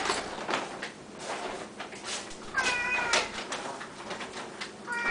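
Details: Kitchen scene with Siamese cats waiting at feeding time: two bright meows, one drawn-out and gently falling, the second starting at the very end, over steady clatter of dishes and knocks.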